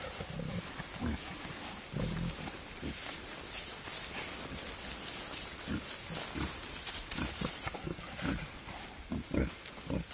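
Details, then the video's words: Courting wild boar, a male pursuing a sow in open nature. Deep, clipped grunts repeat at irregular intervals of roughly half a second to a second, with brief louder clusters toward the end amid broadband rustle. "Wild Boars love story"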